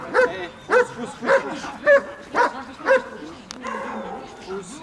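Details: Bodyguard-trained German Shepherd at a guard-dog training session in Odesa, Ukraine: six loud, evenly spaced barks roughly half a second apart, then a pause with a human voice speaking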